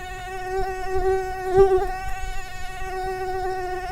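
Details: Mosquito whining close by: a steady, thin, high-pitched drone with many overtones, wavering slightly in pitch and loudness as it hovers.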